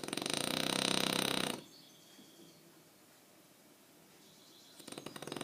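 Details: French Bulldog named Aquiles asleep and snoring, one long harsh fluttering snore of about one and a half seconds, then near silence, before another rattling snore begins at the very end.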